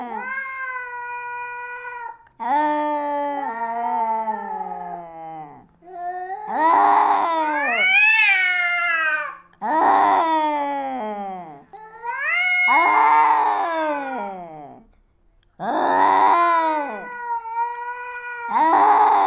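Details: Fighting cats trade drawn-out, strained yowls that rise, waver and fall, some harsher and louder, coming in bursts of several seconds with brief pauses between.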